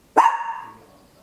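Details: A single sharp bark from a small Papillon dog, recorded indoors at home in stereo with an Olympus LS-11: an abrupt loud onset with a bright tonal core that fades away within about half a second, then quiet.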